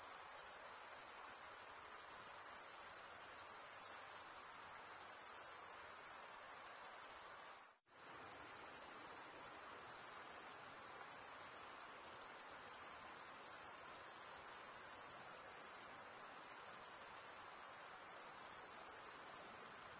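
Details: Crickets chirping by stridulation, males scraping wing against wing, form a constant high ringing trill; a split-second drop to silence near the middle interrupts it before the chorus resumes unchanged.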